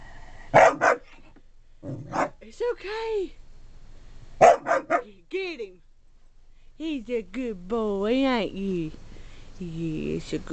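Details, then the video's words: A pet dog barking at its reflection: short, sharp barks in pairs and small clusters, spaced by pauses, mixed with an owner's excited, sing-song encouragement and praise. "Harley Barking!!!"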